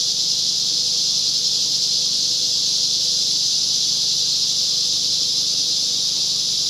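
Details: Very loud cicadas of the larger kind along Whitewater Draw near the Chiricahua Mountains, 9-10-2021: an unbroken, intense high-pitched buzzing drone holding steady throughout, with no gaps or other clear sounds.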